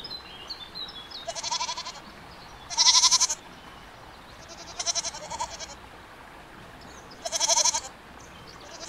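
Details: Goats giving four bright, bleating cries with a rapid quaver, roughly every one and a half to two seconds, the second call loudest, with low background hiss.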